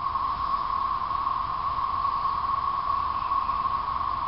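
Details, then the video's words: Steady massed drone of periodical cicadas from a 2011 thirteen-year emergence, heard from late April into May; one continuous buzzy tone without pauses or rhythm changes. "Periodical Cicada 2011"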